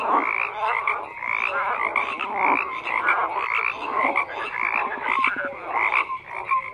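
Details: Frogs croaking en masse, a dense wall of grating calls with rapid pulses and scattered short whistled notes; the chorus stays loud and unbroken throughout.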